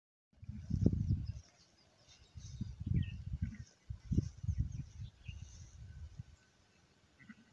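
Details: Newborn lamb at an elephant camp in Mae Chai, Phayao, giving low, rough bleats in bursts near the start and again between roughly two and six seconds, with steady low rumbling background noise throughout.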